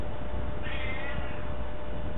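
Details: Pet cat answering its owner in conversation with one brief, mid-pitched meow that bends downward, set against constant low background hum.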